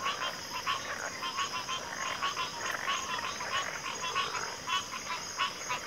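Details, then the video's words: Dense backwater frog chorus: many overlapping rapid pulsed croaks rising and falling in loudness about every half second, with a constant high insect hum behind. "FROGS - Pig Frogs, Water Frogs, Backwater Chorus, & Frog Chorus"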